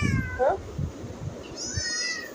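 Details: Pregnant domestic cat meowing indoors: a falling, nasal meow at the start, then a second higher, drawn-out meow that slides downward, with a woman speaking softly to the cat between calls.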